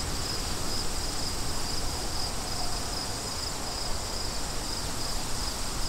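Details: High, thin cricket pulses come in short bursts about twice a second, softly above a steady roar of wind.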